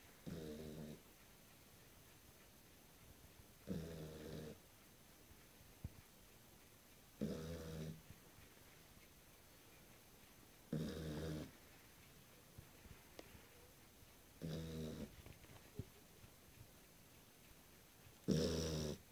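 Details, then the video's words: On its first night, a sleeping Beagle snores steadily: six short, buzzy, low-pitched snores repeat about every three and a half seconds in a quiet room, with faint soft ticks between breaths. "Beagle snoring while sleeping"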